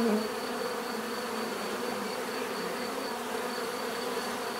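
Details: Swarm of bees humming steadily, a close bee droning loudly at the very start before the sound settles into an unbroken, even buzz.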